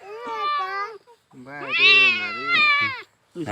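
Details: Cat being held while a fishbone lodged in its mouth is pushed out without an operation; loud, drawn-out, strained meows, one short and then a long wavering one over a second long, with voices mixed in.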